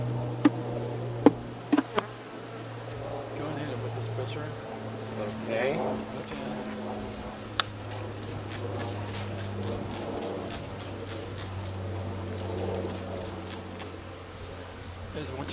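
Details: Western honey bees at a mountain homestead apiary in the Cascade Mountains, Pacific Northwest, disturbed as frames are moved into the hive, banana-smelling alarm pheromone noted; steady low droning hum throughout, with sharp knocks and clicks early and brief human talk.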